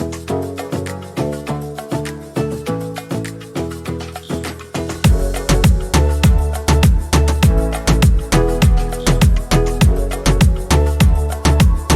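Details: Upbeat Latin-flavoured music with shaken maraca-like percussion and a steady thumping bass beat that grows heavier after five seconds; no animal voices.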